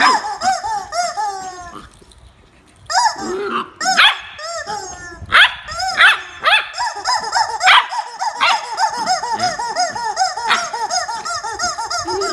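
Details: A fight between Jarvid the corgi and a chicken brings repeated barking and yelping, with descending harmonic notes, a short quiet pause early on, then sustained overlapping barks and yips.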